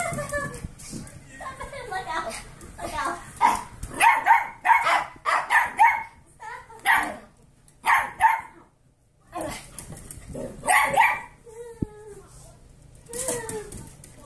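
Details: Short yipping barks in rapid bursts, with pauses between, from Kirby, an 8-year-old Pomeranian foster dog, playing with 8-week-old golden retriever mix foster puppies; a person talks between the barks.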